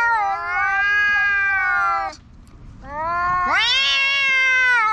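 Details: Two black park cats shout at each other, one steady drawn-out yowl, a short gap, then a sharply rising, strained wail that levels off into a long howl.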